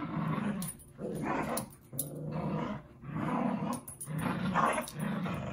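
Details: Dogs Zuko and Izzy playing together indoors: rough, low growls in bursts of about half a second to a second, separated by short pauses, with some scuffling noise.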